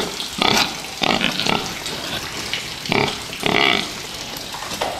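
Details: Fattening pigs kept for meat squealing and grunting in harsh bursts about once a second, with a steady noisy background like running water or feed.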